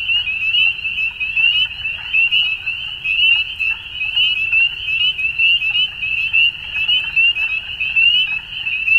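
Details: High, buzzy trilling from many frogs at dusk, unbroken throughout, with bursts of louder pulses about once a second over a quiet low-pitched rumble.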